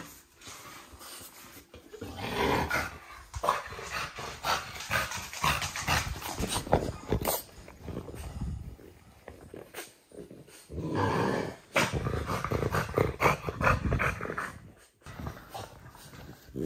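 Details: Oleg, a French Bulldog, gives a run of low rumbling growls and grunts indoors in uneven bursts, with brief pauses between and scuffling noise throughout.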